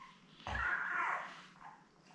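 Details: Newborn Labrador Retriever puppy, one of seven in a litter born May 24, 2021 to their mother Belle, on an indoor puppy cam: a single drawn-out whine lasting under a second, with soft room hum behind.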